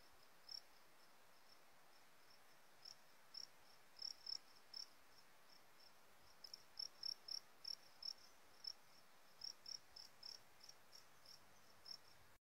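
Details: Fighting cricket (jangkrik aduan) from Sumbawa, Indonesia, tested on a different feed mix, Warrior. It gives about twenty short, sharp, high chirps, single or in quick pairs and triplets, at irregular intervals over a faint steady hiss.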